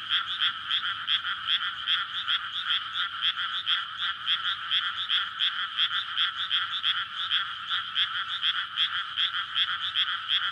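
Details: Dense nocturnal frog chorus from a water-filled rice field in May, courtship calling before egg-laying, close to a road; rapid throbbing croaks, around two and a half per second, continuous and uneven.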